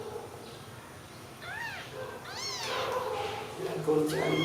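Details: Two clear rising-then-falling mews from newborn kittens sleeping together after milk, the second louder and higher, followed by voices and clatter.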